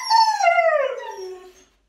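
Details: Siberian Husky, a pet dog, giving one loud howl that slides smoothly downward over about a second and a half, rich in overtones, then fades to silence.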